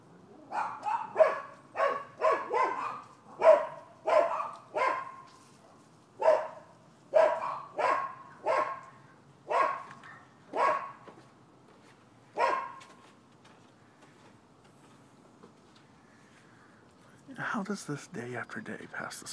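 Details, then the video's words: Neighbors' dogs at a Florida property bark repeatedly as a nuisance: a quick run of a dozen or more rough barks, irregularly spaced, then the barking stops and a few seconds of quiet follow before a burst of broadband noise at the end. "30MIN Barking Dogs"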